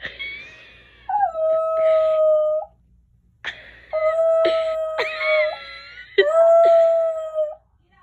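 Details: Domestic dog howling indoors: three long, steady, tonal howls, each holding a level pitch for over a second before dropping away, with short breaks of quiet between them and brief higher wavering notes at the start.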